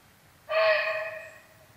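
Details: Single gruff bark from a barking deer alarmed by a nearby tiger, sudden and loud at first, then trailing off over about a second.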